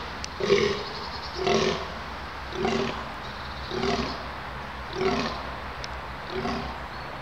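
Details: Red deer (Cervus elaphus) stag at Konopiště, Czech Republic, 20 October 2015, giving a series of hoarse, groaning rutting roars about once a second during the autumn rut.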